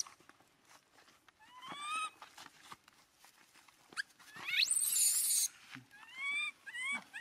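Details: An abandoned monkey wails while holding its owner's feet, its rising, whistled cries repeated in short bursts, with one harsh, noisy shriek partway through and light tapping sounds around it.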